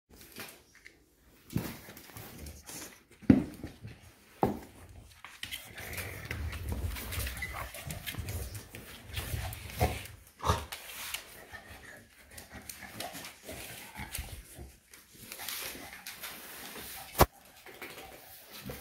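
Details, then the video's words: Shar pei Eva playing wild indoors, giving rough, noisy growl-like vocal bursts that swell and fade between scuffling thumps, loudest around the middle, with sharp knocks from the play. "Shar pei Eva playing wild"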